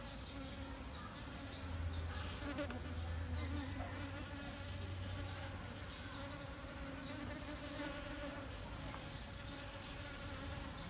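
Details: Western honey bees (Apis mellifera) fill the air with a steady, low droning buzz from their beating wings.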